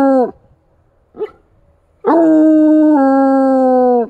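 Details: Bluetick Coonhound howling in wintry woods where deer tracks mark the snow; the tail of one howl, a short faint yelp, then a full two-second howl that drops a step midway.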